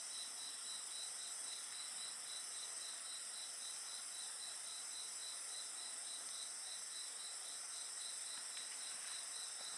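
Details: Chorus of insects next to a bonfire, a continuous high-pitched ringing layered with rapid, evenly pulsed chirps near four per second, one faint click late on.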